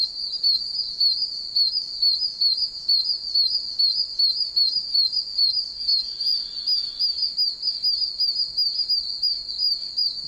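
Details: A loud chorus of one-inch oak toads calling from numerous puddles in a soaked wild area, with high chick-like peeps overlapping into a constant shrill whine and rhythmic pulses.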